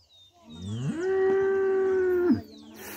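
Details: Cow at a place where milk is bought for breakfast, a single long steady moo rising quickly and holding an even tone for over a second before dropping off, with a faint noisy background.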